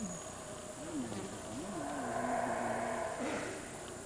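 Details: Howler monkeys in a Guatemalan forest give deep, wavering roars that rise and fall in a low, drawn-out chorus.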